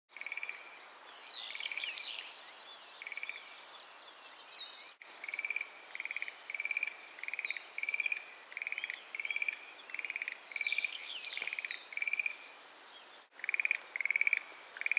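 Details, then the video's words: A Schlegel's green tree frog calls from a sedge thicket in Itsukushima wetland, giving light, castanet-like rattling trills repeated in quick succession. "カサスゲの茂みで鳴くシュレーゲルアオガエル"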